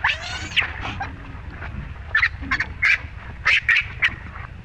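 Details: Shrill, wavering screams from the baby monkey Rainbow while her mother Libby mistreats her: a long opening wail, then short, sharp cries in quick uneven bursts against a low background rumble.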